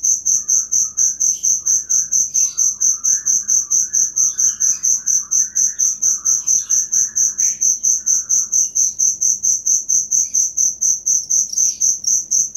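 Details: Cricket chirps used for teaching songbirds: a dense, high, steady pulsing about twice a second throughout, while softer twittering birdsong runs underneath for much of the recording.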